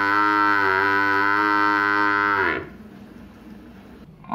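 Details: Village buffalo, shown with a calf; one long, loud, rich harmonic moo held steady for about two and a half seconds before dropping and breaking off, followed by quiet background noise.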